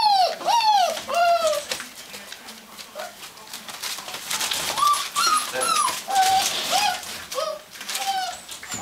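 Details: Gordon Setter at the Natolińskie Wzgórza kennel, indoors: loud descending whines open the recording, then softer, shorter whimpers come irregularly amid rustling and scratching noises.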